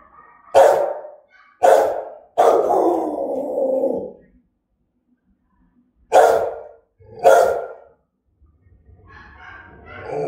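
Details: Threatening, aggressive barks of a German-type Rottweiler: three harsh barks, the last drawn out into a long rough growl, a silent gap, then two more sharp barks and some softer rustling.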